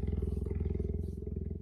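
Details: Captive female cheetah kept as a pet in her house, waiting for food as her keeper arrives to clean the windows: a deep, steady purr of rapid rhythmic pulses running unbroken throughout.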